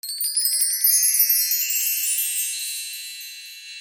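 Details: Bright tinkling chimes ring in a quick run and then fade, with no animal sound heard.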